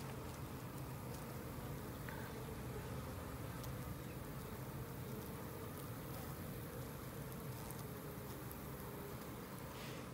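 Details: Newly emerging worker honey bees give a steady, low droning hum, thick with overlapping wingbeat buzz; western honey bee.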